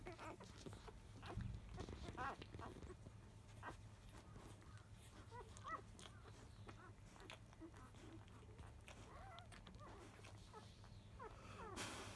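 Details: Five-day-old field-type Labrador Retriever puppies, born to grand champion biscuit, fussing noisily as they start nursing just after 1 pm; scattered short squeaky whines and grunts from several pups over a low steady hum, with occasional human voice.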